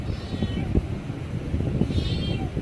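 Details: A kitten pleading with its owner, two thin meows with tinny harmonics near the start and end, half-buried under steady low rumbling background noise.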